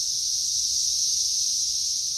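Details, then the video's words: Brief burst of massed periodical cicadas crowding a tree in May 2024, an unbroken piercing high drone holding steady throughout, with no other clear sounds. "Periodical Cicadas Swarming Tree"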